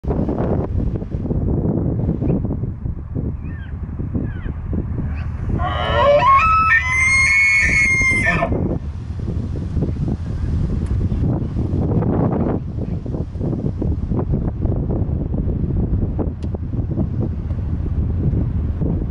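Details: A bull elk in Colorado bugles once, a rising, squealing whistle over a steady wind-like rumble.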